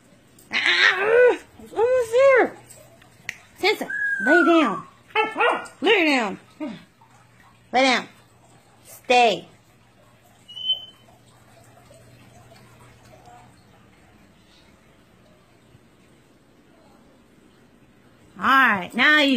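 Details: Siberian Husky during basic obedience training with its owner, giving a run of short, rising-and-falling harmonic barks and yelps, about ten in the first ten seconds, then quiet, with one more burst at the end.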